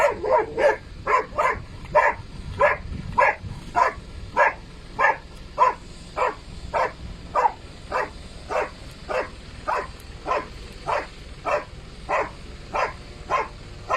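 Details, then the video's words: Mailo od Moslavine, a dog barking in the blind, gives a long steady run of sharp barks, around twenty-four in fourteen seconds, evenly spaced with slight variation in loudness over a faint low background rumble. "MAILO OD MOSLAVINE barking in the blind"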